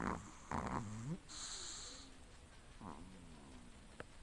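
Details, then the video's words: Pomeranian asleep, said to snore all the time while sleeping: nasal snoring breaths with two rising whistly wheezes, over a steady background hiss. "Snoring dog"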